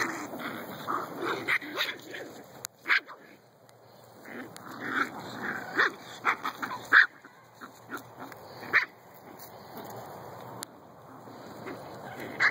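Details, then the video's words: Seven-week-old Shih-poo puppies playing in a park on a fine day, giving scattered short yips and small barks at irregular intervals, with soft whimpers and outdoor background noise between. "7 week Shihpoo puppies at play!"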